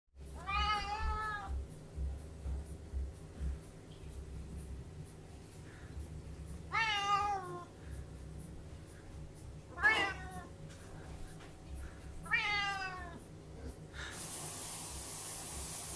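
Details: Tonkinese kitten indoors, wanting something out of a cupboard, gives four drawn-out, wavering meows spaced several seconds apart over a steady low hum.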